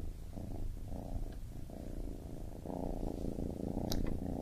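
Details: Baby kitten purring indoors: a continuous low rumbling purr that swells and eases in steady breathing cycles of under a second, with a brief faint high click near the end.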